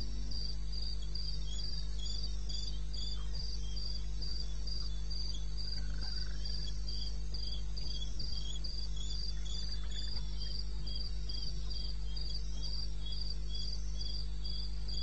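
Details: In the wild of eastern Botswana at 2:30 am on 21 May, a cricket keeps up a bright, regular high chirp, roughly three pulses a second, with a lower second tone, light clicks and a persistent deep hum.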